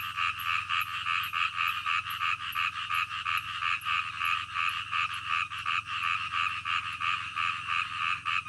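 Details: Frogs croaking at night, a dense chorus of rapid, pulsed croaks in two bands, repeating about three times a second; faint high ticking insects above and a low steady hum beneath.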